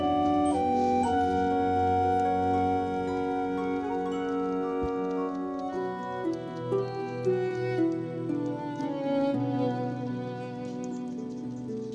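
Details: Gentle instrumental music with sustained string-like tones and a soft ticking rhythm fills the whole stretch.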